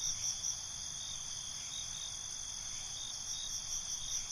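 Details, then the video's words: Crickets calling at night, a dense high-pitched trilling chorus with loose, irregular chirp pulses at the start and end; quiet background otherwise. "Night ambience, Cricket Conversations"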